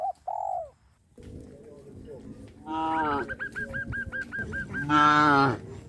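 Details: A herd of cows on a traditional village farm low with rough, drawn-out moos that swell toward a loud final call.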